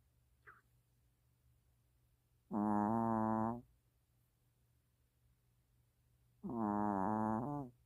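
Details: Sleeping long-haired Chihuahua named Mina snoring: two buzzy, tonal snores around a second long, four seconds apart, following a faint click near the start over a quiet background hum.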